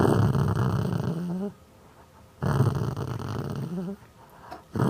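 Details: Domestic pet dog producing funny growling noises: two low, gravelly rumbling growls about one and a half seconds each, each tailing off in a brief rising whiny note, with a silent gap between.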